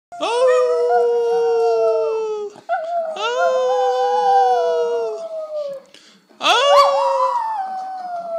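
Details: Singing dog, three long howled notes with strong harmonics, each held about two seconds, sliding gently downward, separated by short pauses; the last starts with a sharp rising yelp.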